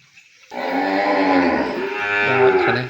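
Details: Calf kept from its mother in a pen on a Cambodian cattle farm lets out a single loud, hoarse bawl, starting abruptly and holding steady to the end.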